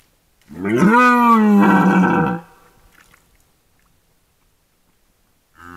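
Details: Red deer during the 2022 rut, captured by a camera trap: a single loud, deep, harmonic bellow of about two seconds, rising briefly and then held steady, then near silence before another roar begins at the end.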